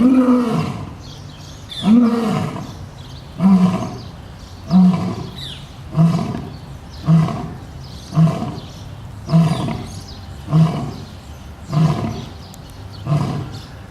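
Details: Lion kept at a zoo in Boston, Massachusetts, ending its roar with a series of short, deep grunts, about eleven in fourteen seconds. The grunts start slower and then come at a steady pace.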